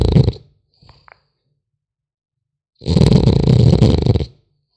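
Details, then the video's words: Sleeping French Bulldog puppy gives a rough, rattling snore lasting about a second and a half, preceded by the tail of an earlier breath and a small snuffle in the quiet gap. "Храп щенка французского бульдога"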